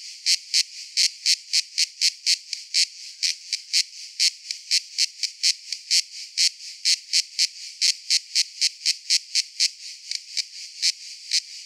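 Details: Cicada giving sharp, high-pitched raspy pulses repeated about twice per second in a steady rhythm over a faint background hiss.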